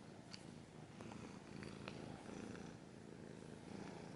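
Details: Cat purring at close range: a continuous low, buzzy rumble with a few brief clicks and scratches over it.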